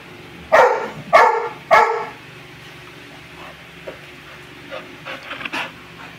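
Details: Pet dogs, a one-year-old beagle-labrador mix (beagador) and a four-year-old American bully, during playful zoomies indoors: three sharp, loud barks in quick succession, then faint yips and rustling amid room noise.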